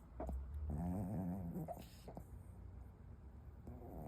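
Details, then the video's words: Dog asleep and snoring, one long rasping, buzzy snore through the first second and a half, then quieter breathy sounds against a low background rumble. "Snoring dog"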